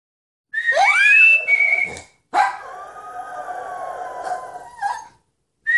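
A Toy Fox Terrier howls in long, wavering tones that rise and then slide steadily downward.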